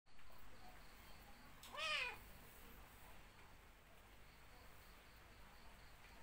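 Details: A cat, one of several cats suckling milk from a dog, gives a single short meow that arches up then down, standing out against faint background hiss and otherwise quiet surroundings.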